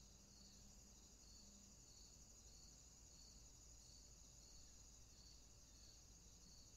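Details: Insects calling in the summertime: a steady high shrill drone with a softer pulsing trill beneath it, beats repeating about twice a second, over a low background rumble.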